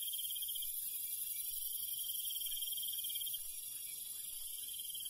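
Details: Countryside crickets at night, one high trill running continuously for about three seconds, then easing off, set in a thick, hissing wall of other night insects.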